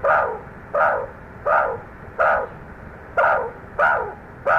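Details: Meerkats reacting aggressively to snake scent on a trail: loud, rasping bark-like calls spaced under a second apart, each short and harsh, with low background noise between them.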